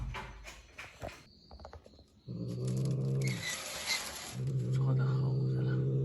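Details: Low, rumbling growl from a farm-village pet cat, starting after two seconds of indoor bustle and quiet voices, then holding a steady buzzing tone with a short break before rising again, loud and continuous.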